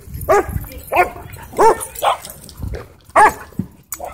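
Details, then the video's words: Dog at a dog park barking excitedly, a series of short loud barks roughly every half second with uneven spacing, some yelping in tone, over low background rumble. "Dog Goes Crazy At Dog Park"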